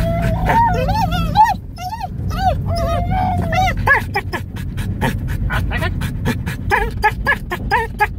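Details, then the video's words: Pet dog yodeling inside a car: a run of wavering, sliding howl-like tones that rise and fall in arches, some held notes, then quick yelping bursts, over steady low engine rumble. "my dog yodeling in the car"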